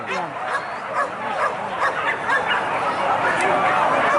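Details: Hunting dogs barking while chasing wild boar in a traditional Minangkabau pig hunt, West Sumatra, Indonesia; dense overlapping barks and yelps in rapid, irregular bursts over a noisy, busy outdoor background.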